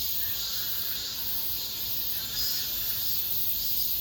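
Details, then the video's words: Last cicada chorus of the summer, recorded inside an apartment complex: an unbroken, hissing high-pitched drone with slow, uneven surges in loudness over a few seconds. "올 여름 마지막 매미소리"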